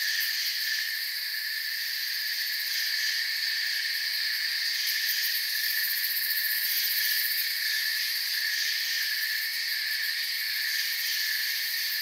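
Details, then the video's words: Crickets in forest ambience chirp as an unbroken, high, buzzing wall of sound, several overlapping trill bands holding steady with slight pulsing at the top over twelve seconds, free of other noises. "Forest Sounds and Crickets"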